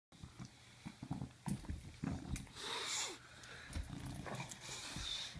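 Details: Bulldog attacking a sock: rough low grunting growls and snorts in short irregular bursts, with a breathy hiss near the middle and rustling of fabric.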